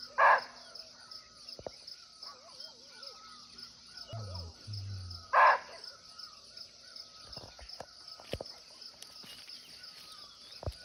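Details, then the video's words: Two abrupt, rough barks about five seconds apart from a muntjac (barking deer) in its natural forest habitat in Nepal, recorded live nearby; an insect drone continues throughout, with faint chirping birds and a low thump between the calls. "Real Barking Deer Call"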